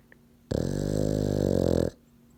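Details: Sleeping French bulldog/pug mix, eyes open, giving one loud, rumbling, rattling snore lasting about one and a half seconds, steady and deep, framed by quiet indoor background.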